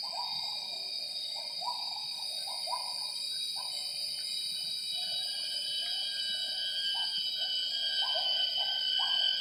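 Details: Wild gibbons singing at 07:58 in the morning in primary rainforest of Semenggoh Nature Reserve near Kuching, Borneo. The local name is wak wak. A pair sings a duet of the female great call and the male coda. Hooting notes come in quick bursts over a loud, steady insect chorus.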